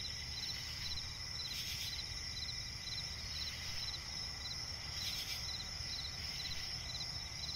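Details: Night chorus of crickets in a swampy forest, a continuous shrill ringing overlaid with quick, evenly spaced chirp pulses. Two louder hissy surges stand out, over a soft low-frequency rumble.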